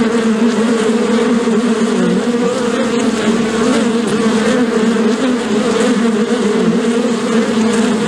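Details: A crowd of bees buzzing at once, a thick unbroken drone with a low fundamental and a brighter overtone, gently wavering in pitch, with a faint tick near three seconds.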